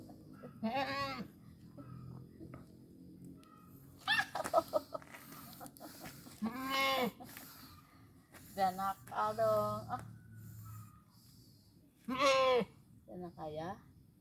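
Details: Goat readied for slaughter at Lebaran, giving repeated quavering bleats, loud and shaky, about five times in fourteen seconds, with people talking quietly between calls.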